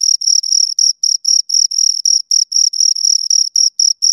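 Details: High rhythmic cricket chirps from a pair of crickets, buzzy pulses of uneven length, some merging into longer bursts with brief gaps, nothing else audible.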